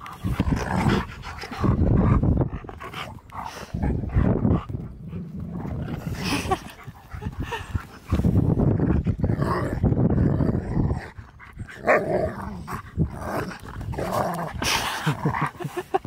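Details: Siberian Husky Key meets his best friend Sherpa again after three months apart, a surprise for his seventh birthday on April 2nd; loud panting and rough excited vocal bursts come and go in waves, with brief human voices between them.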